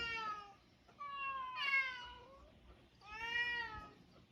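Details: Mixed-breed island cats meow three times in quick succession, the calls bending up and then falling away, the middle one loudest and slightly harsher.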